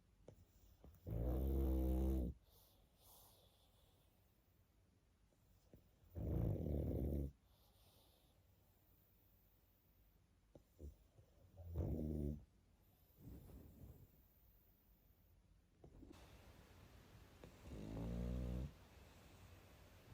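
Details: Pug fast asleep, snoring in a slow rhythm: four deep, buzzy, rattling snores roughly every five seconds, with quiet breathing between them.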